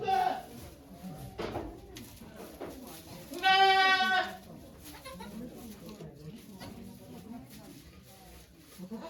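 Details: Nanny goat Okayu in labour at Yoshigake farm, Japan, 3 May 2023, delivering two kids before watching volunteers: a strong, drawn-out, quavering bleat of nearly a second, with murmured conversation before and after.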